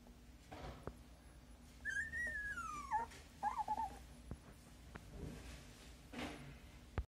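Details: Siberian Husky puppy opening its eyes for the first time, producing one long thin whine that slides downward, followed by a shorter wavering squeak, amid soft clicks and rustling in a quiet room.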